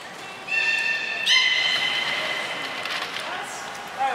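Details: Aquarium beluga from Nana and Niko's training at Port of Nagoya Public Aquarium, 7 October 2018, producing a sustained reedy harmonic tone lasting a few seconds, opened by a brief high peep, amid indoor echo.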